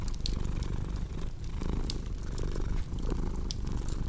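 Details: Cat purring close up, a deep buzzing rumble that dips briefly between breaths, with scattered sharp crackles from a fireplace in the background.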